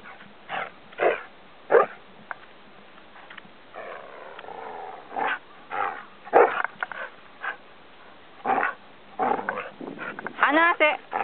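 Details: Samoyed Gomaru playfully teasing its owner at the Shobudani Pond Park campsite, ignoring commands. A rapid string of throaty, grumbling 'woo-woo' vocalizations and short barky bursts, with wavering harmonic howls that build louder toward the end.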